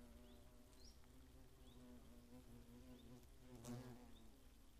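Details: Hornets on the attack in the Eifel, Germany, 2017: a quieter sustained low buzz with faint harmonics, brief high rising chirps scattered throughout and one sharp click near the end.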